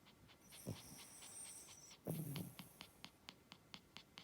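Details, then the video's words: Snoring from a sleeping Spitz: a brief low snort, then a longer, grating inhaled snore with a hissing top, followed by a string of quick regular clicks. "Шпиц ХРАПИТ"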